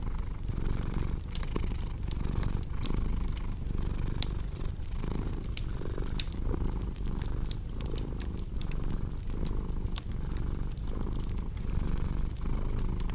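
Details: Steady rumbling purr of a cat, pulsing with inhale and exhale, accompanied by frequent crisp crackles and snaps of a cozy fireplace.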